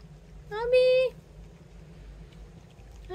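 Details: Household cat, one of three kept together (tabby, short-legged Munchkin, Abyssinian), recorded indoors on 24 January 2024: one clear, steady, drawn-out meow of about half a second, followed by low room hum and a brief rising sound at the end.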